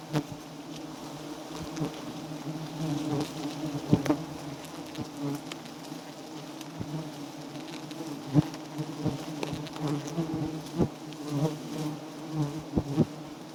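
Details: A wild giant honey bee colony on a small nest, steady low-pitched humming from many bees throughout, quieter overall, punctuated by frequent sharp taps and clicks from handling.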